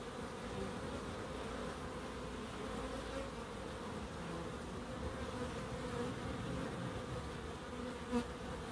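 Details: Steady drone of bees foraging in a small wildlife garden at Crookes, a dense unbroken hum that ends with a single short click.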